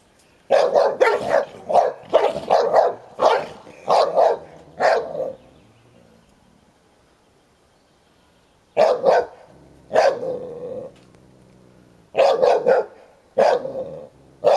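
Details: Ten-year-old Hovawart named Sherlock guarding his toy while one-year-old American Staffordshire Terrier Heini plays rough with him; rapid bursts of sharp barks over five seconds, a pause, then more clustered barks.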